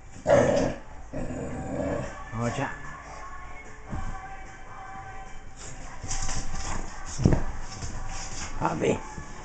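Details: A male English bulldog puppy plays and fools around, giving short, throaty play growls and yips, with people talking nearby.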